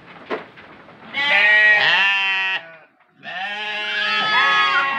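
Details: Goat kept for the Qurban sacrifice, shown as amusing children's entertainment; faint clicks and rustling, then two loud, wavering harmonic bleats of about one and a half and two seconds, separated by a short pause.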